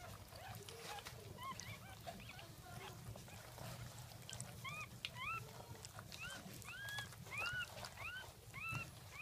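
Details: Newborn Jack Russell Terrier pups from the second litter at 5:35 am, 17 October 2014: quiet rustling at first, then a string of sharp, arching squeaks roughly every half second in the second half.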